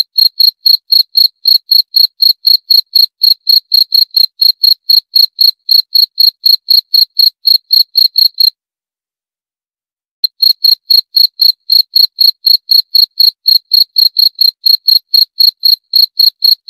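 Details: Insistent cricket song of short, shrill pulses repeated about four times a second, with one clean pause of nearly two seconds midway before the rhythm picks up again. No other sounds.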